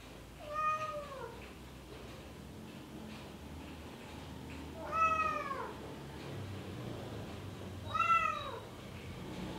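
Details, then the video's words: Male Bengal cat in heat calling for a female: three long, slightly wavering meows, each falling in pitch at the end, spaced roughly three to four seconds apart against a quiet background. "Suara Kucing Panggil Betina | Kucing Bengal Jantan Birahi"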